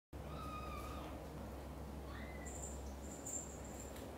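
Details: British Shorthair kittens and mother: kitten Cream leaves the nest for the first time while mother cat Xaxa anxiously follows every step. Thin, high, drawn-out mew, then a short rising squeak, over steady low indoor hum.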